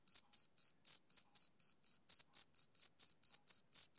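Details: Steady chirping of a male cricket: clipped, piercing high notes pulsing about four times each second in a tight, regular beat against silence.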